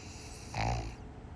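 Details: A pug named Piper asleep and snoring, giving one brief, deep, raspy inhale around the midpoint with a humming low tone and a faint higher fizz, surrounded by soft steady background hiss.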